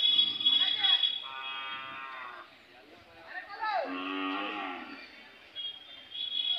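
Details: Indian Hallikar cattle calling at the Cheluru cattle fair: two sustained moos, the second deeper and bending downward, over a steady high-pitched tone and busy fair chatter.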